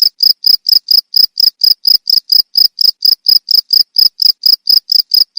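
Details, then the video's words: Cricket calling for songbird training, sharp shrill chirps repeated evenly about four times a second, clean and loud with nothing else audible. "Suara jangkrik untuk masteran burung"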